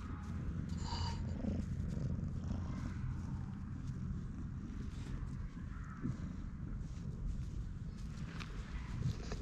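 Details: Stray cat purring loudly while seeking affection, rubbing against a person's legs and refusing to leave, recorded on a GoPro HERO8; steady, continuous low rumbling throb with faint scattered rustles and higher clicks above.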